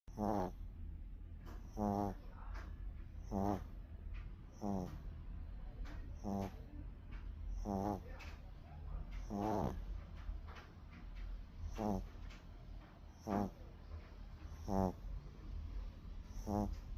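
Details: Sleeping dog snoring: rhythmic rasping snores with a fluttering, buzzy texture, repeated roughly every one and a half seconds, with a steady low hum underneath.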